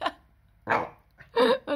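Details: A 4-month-old Cardigan Welsh Corgi puppy gives a quick series of sharp, high-pitched barks.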